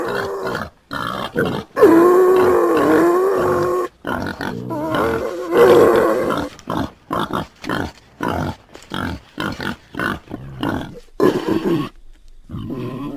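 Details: A pig grunts and squeals in a rapid, irregular series of harsh, nasal calls, amid music and a person's voice.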